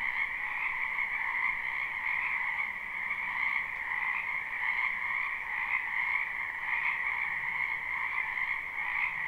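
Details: Many frogs calling together in a spring wetland near a home, a live unlooped recording: continuous overlapping croaks merge into a steady buzzing drone, with gentle rhythmic flickers and no other clear sounds.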